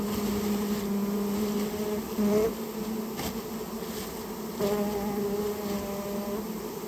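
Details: A nest of Japanese honey bees, rare, being cleared from a storehouse. There is a loud, rich buzzing with clear overtones that swells and eases in waves, with a soft tap midway.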